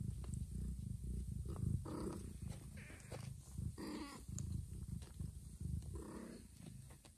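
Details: Mother cat that has just given birth to two kittens, carrying a newborn kitten to a hidden, safe place; a steady low rumbling purr runs throughout, broken by three short tonal mews about two seconds apart, with faint rustling.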